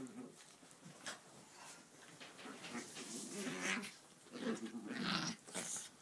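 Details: Indoors on a bed, pet dogs Lunah and Sabra play-fight beside the sleeping cat Negev; rough, rumbling growls and snarls come in uneven bursts with scuffling and rustling of bedding between them.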